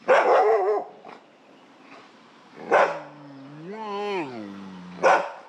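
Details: Asian black bear calling: loud, rough, raspy bursts at the start, near the middle and at the end, separated by a lower wavering moan that rises and then falls in pitch.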